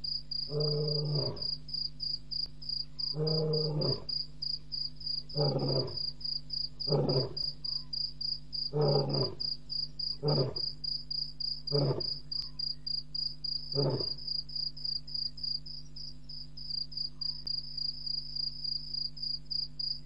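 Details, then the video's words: Lion at Djuma Game Reserve at 01:05 a.m., April 13, 2017, roaring after crossing a dam wall; deep booming calls, the first long, then shortening grunts spaced about every one to two seconds, with constant cricket chirping throughout. "Lion walks across dam wall SE and 2 sets of roars following"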